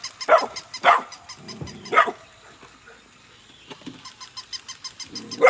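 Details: Golden retriever puppies Nala and Scout, siblings born August 2020, playing with a new puppy; loud sharp barks near 0.3, 0.9, 2 and 5.5 seconds over a steady fast ticking pulse in the background.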